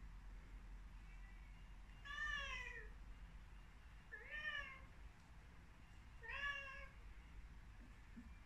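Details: Young Devon Rex cat reacting to its reflection in a mirror indoors, giving three loud drawn-out meows about two seconds apart, each bending down in pitch at the end, with a faint softer meow before them.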